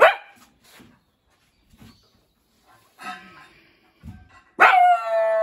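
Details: Shiba Inu Kai, the boss dog of a log house, sounds weak, perhaps frightened by steel pipes clanging as scaffolding goes up for exterior repainting. A loud harmonic bark opens, more barks follow near three seconds, then a long strong bark, with soft yips between.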